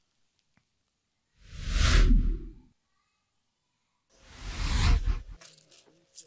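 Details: No animal is heard, only two loud whooshing sound effects separated by near silence.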